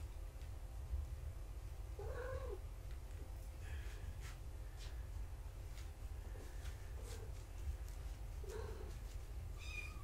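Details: Kittens of the mother cat Gaia mewing during weight checks in a foster home. Two clear arched meows, rising then falling, come about six seconds apart, with a fainter mew between them. A constant low room hum continues throughout.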